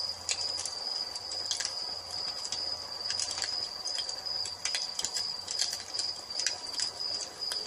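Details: Evening cricket chorus heard by a fireplace: one unbroken, thin, high-pitched tone runs under irregular loud snaps and crackles from the fire.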